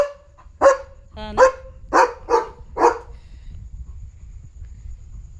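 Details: Night barking from Leo the German Shepherd warning of a dog outside: a short yelp, then five loud barks about half a second apart, fading into a low background hum.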